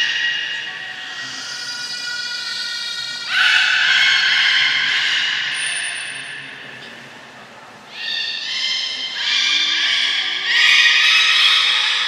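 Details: Belugas Gray, Nana and Mirai during a training session at Port of Nagoya Public Aquarium on 31 May 2022; bright, tonal whistles with stacked harmonics come in bursts, loudest around the fourth, ninth and eleventh seconds, over a steady background hum.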